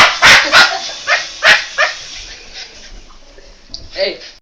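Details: Boston Terrier attacking a toy helicopter: a handful of sharp barks in the first two seconds, then quieter, with a short voice-like sound near the end.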